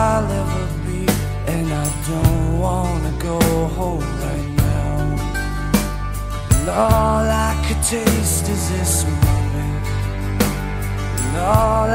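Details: A soulful song with a singing voice over bass and steady percussion plays throughout; no animal sound is heard.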